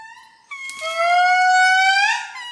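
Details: Indri lemur singing in Madagascar at the Palmarium, a long sustained wailing tone that jumps upward after half a second and holds steady, rich in harmonics, swelling slightly toward the end.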